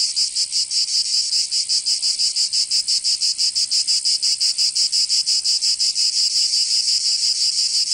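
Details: Provençal cicadas singing in summer in southern France: an intense, rasping, high-pitched buzz beating steadily at close to three pulses a second, with the rhythm sharpening midway.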